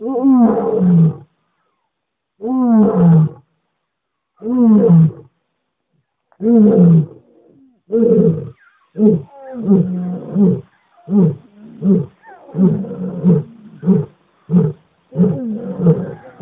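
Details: A lion roaring: a few long, deep, moaning roars spaced about two seconds apart, then a faster series of shorter, grunting roars.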